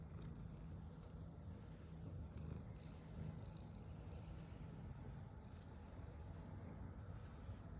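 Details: Black female house cat purring while eating, a low steady rumbling purr running through the whole stretch, with faint higher ticks and a soft background hum.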